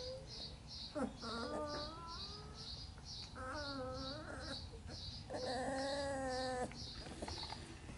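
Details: Sheepadoodle puppies from Coco's litter of nine, seven shown together in a pen, filmed 5/7/20. Three drawn-out, wavering whimpering cries rise and fall over a steady run of rapid, high-pitched pulsing chirps that continues throughout.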